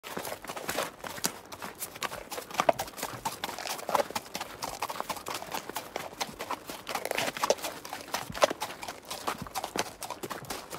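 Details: Horse trotting and grazing in the wild: a dense, irregular run of sharp clicking hoof taps and crunching steps, with louder knocks near the third, eighth and ninth seconds over a soft outdoor background.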